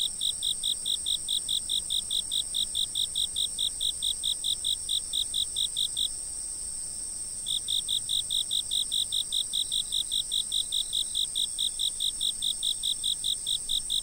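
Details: Fixed-camera recording of insects calling: rapid, regular high chirps, roughly two or three per second, break off for about a second and a half, then return, with a constant shrill background drone throughout.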